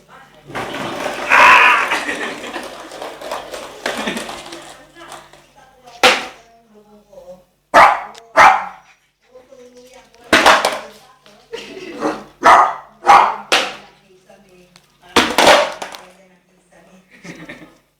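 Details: Nicholas, an 8-month-old male Shih Tzu, scared of a skateboard: after a stretch of human talking, short sharp barks burst out singly and in pairs through the second half, with quiet gaps between them.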